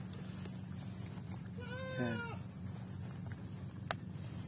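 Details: Goat on a farm bleating while being given water; a single wavering, nasal bleat lasting about half a second, over a steady low mechanical hum and faint background noise.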